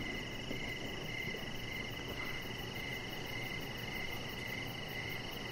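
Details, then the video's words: Evening crickets near a deck where a pet chihuahua rests under decoration lights; soft, high chirps pulse steadily beneath a constant thin whine and a broad low hum. "with Cricket Sounds"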